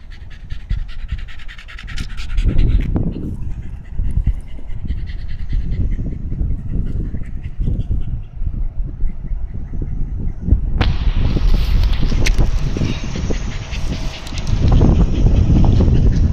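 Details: Shiba Inu dog beside a canal in Amagasaki, Japan, panting in quick, rough breaths about four per second for the whole stretch, with a hiss of outdoor noise rising late on.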